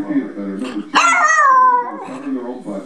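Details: Female pet Jack Russell terrier answering an owner's coaxing to speak indoors. A single long, yelping bark falls in pitch over nearly a second. Questions about hunger and goodies are spoken around it.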